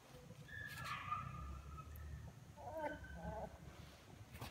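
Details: A litter of young puppies, starting to walk and open their eyes and crawling toward their mother, on 24 February 2022. Drawn-out rising and falling whines, then a pair of wavering cries, over a low background rumble.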